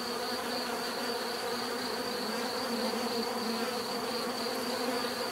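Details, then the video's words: Steady bee buzzing, a thick layered drone with strong low bands and a high whining line, unbroken for the whole few seconds, no voices or other animals. "bees therapy relaxing natural buzzing sound"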